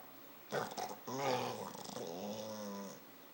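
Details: A sleeping dog, described as dreaming, gives a rough, rattling snore with a brief snort, then a long droning, growl-like breath lasting about two seconds indoors.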